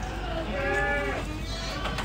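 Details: Ardi goat from a breeder in Kuwait giving a short, wavering, nasal bleat of about half a second, with a fainter second call after it against a low background hum.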